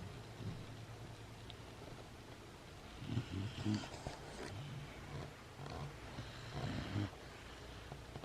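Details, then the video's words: Great Dane puppy Nina, sleeping and snoring; low rumbling snores swell around three and seven seconds, roughly every three to four seconds, over a steady faint background hiss. "Great Dane Puppy Snoring"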